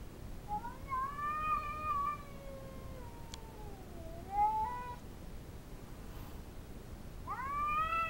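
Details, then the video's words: Female pet cat sounding off at another cat intruding in her backyard: long, mournful caterwauls that bend upward, sag, then climb again, with a pause before a fresh rising wail begins. "Cat gets territorial"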